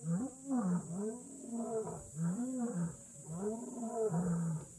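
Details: Wild lion at Kgalagadi Transfrontier Park roaring in a continuous run of arching, moaning calls, each swelling up and sliding down in pitch, with hardly any gap between them.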